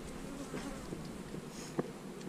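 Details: Colony of honey bees humming while hives are split and frames with queen cells are examined: a continuous low, grainy drone with a single sharp knock near the end.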